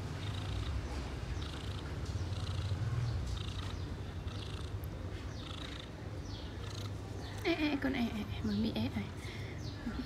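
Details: A female outdoor cat, cared for as a neighbourhood stray, purrs in a steady, low, continuous rumble during grooming, with a person's voice breaking in briefly near the end.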